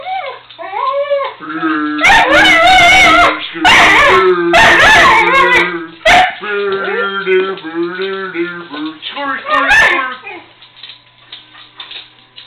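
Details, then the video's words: Pet dog that loves to sing, howling in wavering, bending tones that rise and fall in overlapping phrases, alongside a person's low, steady voice and several loud, sharp bursts of noise. "My dog loves singing"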